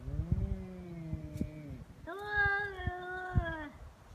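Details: Stray cats fighting on Cat Day, 22 February, in Japan, threat calls escalating toward bites and paw strikes; a low growling moan gives way to a louder, higher sustained yowl with light background thumps.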